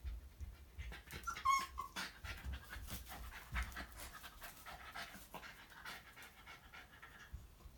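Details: Pet Shiba Inu indoors, panting quietly in rapid soft breathy pulses for about eight seconds, with a few faint clicks and rustles and no voices.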